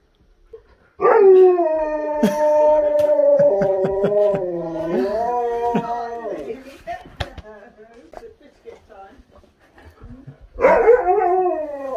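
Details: Siberian Huskies eager to get outside and play howl indoors: a long, steady, harmonic-rich howl of about five seconds that wavers and steps lower near its end, then a second rising howl begins, with a woman's voice and bumps in between.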